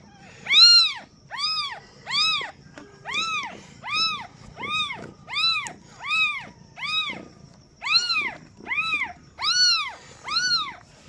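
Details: Newborn kitten, just born as its mother cat delivers her first litter, meows for the first time: loud, high, rising-then-falling cries repeat steadily, about thirteen in a row, each under a second, with faint rustling beneath.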